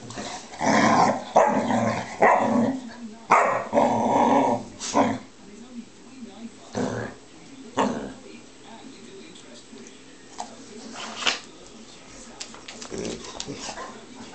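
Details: Bearcoat Shar-Pei Sophie badgers Tibetan Mastiff Flynn into play; a run of gruff growls and bark-like bursts comes thickly in the first five seconds, then fades to scattered snorts and quieter grumbles.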